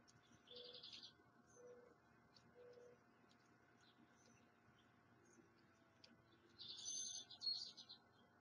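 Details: A male American red squirrel (Tamiasciurus hudsonicus), a long-time bird-feeder robber unbothered by the watching observer, gives short, harsh, buzzy bursts, then a longer rasping chatter.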